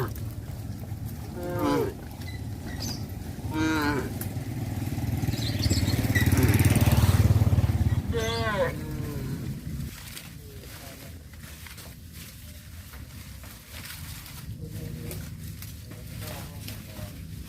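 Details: Cows returning along a village road to their traditional barn give three short moos in the first nine seconds, then a passing motor vehicle swells into a loud rumble before fading to low background noise.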